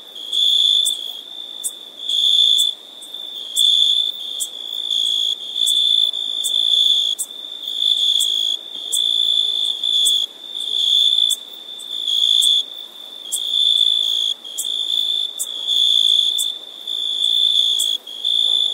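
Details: Crickets chirp on a summer night in a high, steady trill. Bursts of about one second follow one another with brief gaps, with no other sounds.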